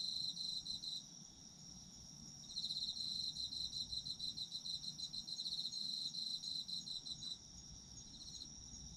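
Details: Chorus of autumn insects: a high continuous trill sits beneath bursts of rapid chirping that start and stop in long runs, lasting several seconds each.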